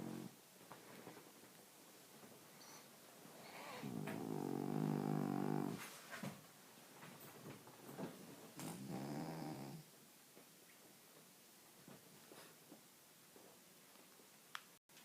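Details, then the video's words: French Bulldog asleep, giving two rough, buzzy snores separated by a few seconds, with soft clicks and shuffling noises in a quiet room. "Bola roncando"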